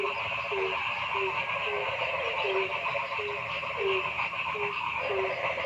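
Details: Frogs calling in a forest: a steady buzzing chorus with short, low, slightly falling notes repeated about twice a second above the continuous trilling background.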